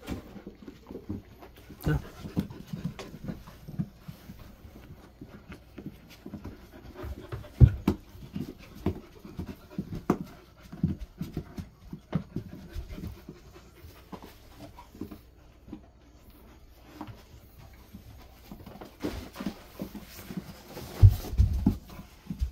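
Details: Golden Retriever resting indoors in a cool air-conditioned room set to 20–22 degrees, at about 400 m elevation in summer, with other dogs present. Steady, soft, low rhythmic panting runs throughout, with a person talking intermittently and occasional handling noises.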